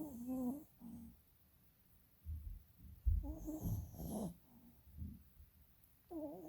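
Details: Dozing dog with rolling eyes snores in bursts: a few whiny tonal snores, then rough low snorting breaths, and another whistling snore at the end.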